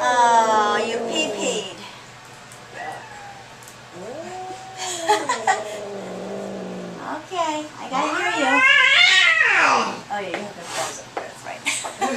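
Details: Agitated cat Audrey at the veterinary clinic, a long yowl opening, then mixed human talk, then a strong rising-falling wail near the end.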